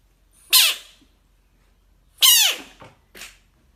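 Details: An American bullfrog facing a dog gives loud, shrill, screeching cries that slide downward at the end.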